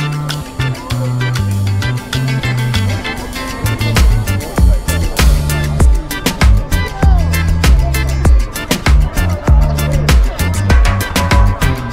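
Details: Upbeat funk music with a pulsing bass line, guitar and steady percussion plays throughout, with no animal sound heard.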